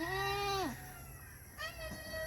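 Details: Goat from a farm herd that has kidded, six kids added, this birth a single male kid; a long, nasal, harmonic bleat sliding downward at its end, then a second shorter bleat, with music in the background.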